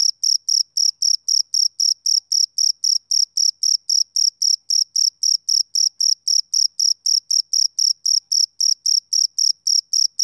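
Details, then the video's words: A male cricket calls through a summer evening with a long, very regular series of short, piercing chirps, close to four each second, with nothing else audible. "Cricket Chirping Sound Effect"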